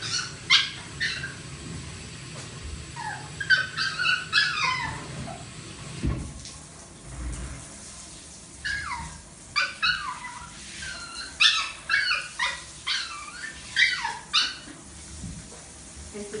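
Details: A teacup poodle that wants to bathe gives high, squeaky whines and yips, each note sliding downward in quick bursts.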